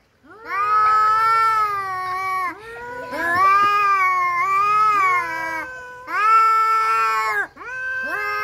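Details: Two domestic cats in a fight yowl in long, steady, harmonic wails, a higher and a lower voice sounding together, in three extended phrases with brief gaps.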